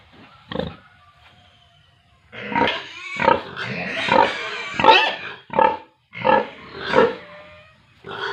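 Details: Pigs and piglets at a farm in Tripura: after a quiet start with one short grunt, a run of loud harsh squeals comes about once a second, each rough and harmonic.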